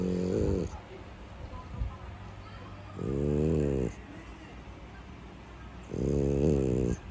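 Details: Sleeping French Bulldog lying with a companion. It gives three loud, nasal snores about every three seconds, each a rough, buzzing half-second to one-second rasp, with quiet breathing between them.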